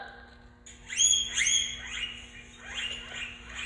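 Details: Guinea pig calling its companion, as if saying listen, come: faint high-pitched whistled chirps with quick rising sweeps, one clear burst followed by softer repeated squeaks over a low background hum.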